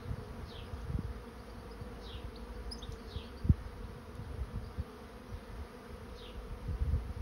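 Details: A steady low hum comes from a honey bee swarm moving into a swarm trap. Intermittent wind rumble, a single sharp click and a few short descending bird chirps are heard.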